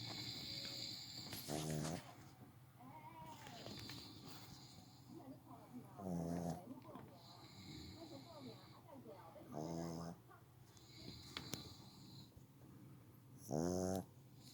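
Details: Pet dog snoring while asleep: harsh rattling snore bursts with buzzy pulsed texture, about four over fourteen seconds, spaced roughly every four seconds, with quiet breathing and faint household noise between.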